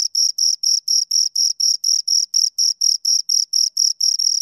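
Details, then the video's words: Two crickets produce evenly spaced, piercing chirps, each a short high buzz repeated about four times per second. No other sound intrudes. "Two Crickets Chirp Sounds"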